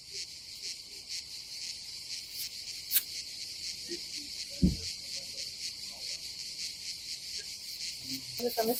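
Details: Cicadas buzz in a steady, high, hissing chorus that never lets up on a hot summer day at a seaside campsite on Croatia's Adriatic coast.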